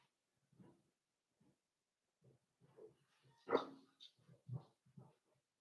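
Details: Indoors, four-week-old Cavalier King Charles Spaniel puppies socialize with older dogs; soft low grunts and murmurs build to one louder sharp yelping whimper midway, followed by a few more quiet grunts.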